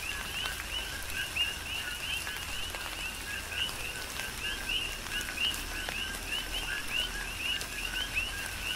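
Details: Rain on the Big Island of Hawaii with coqui frogs calling; repeated two-note chirps, low then a bright upward-sweeping whistle, from several overlapping frogs, accompanied by drips, raindrop taps and a constant rain hiss.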